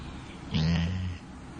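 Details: A female Labrador Retriever, fast asleep, snores loudly once, a deep rumbling breath lasting about half a second; she habitually snores like this.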